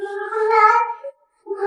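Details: Yuanbao, a talkative pet cat, meows back while being coaxed to learn new words: a drawn-out, steady, harmonic meow of about one second, a short upturned tail, a pause, then the start of another call.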